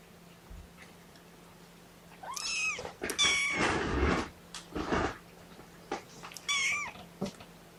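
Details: Kittens from Mama Seraphina's four-kitten litter object to being pottied before weighing; shrill arched meows in short bursts mixed with rustling and handling noise indoors.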